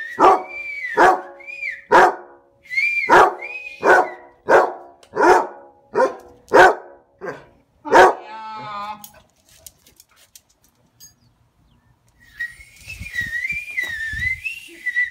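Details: Barney, a Basset Hound said to love barking, gives about eleven deep, loud barks in quick succession, roughly one per second, then falls quiet before a wavering, drawn-out howling tone at the end.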